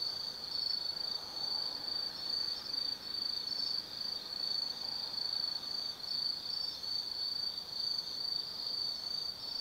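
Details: Autumn insects chorus at night in the Tsukimi Forest on a 180 m lookout over the Nobi Plain, Kaizu, Gifu, Japan; a steady high trilling band with soft pulsing, several callers overlapping.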